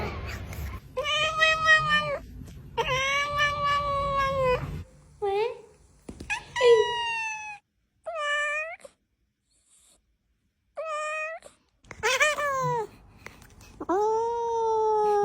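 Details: Domestic cat meowing indoors in a series of clear, harmonic meows, some long and level, others short and falling, separated by brief silences, with light background noise.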